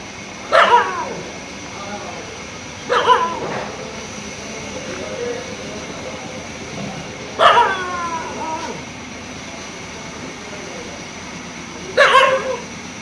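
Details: Dog barking in daytime after seeing a fox: four loud, harsh barks spaced roughly every two to four seconds, each a short burst with a brief tail, over a steady background hiss.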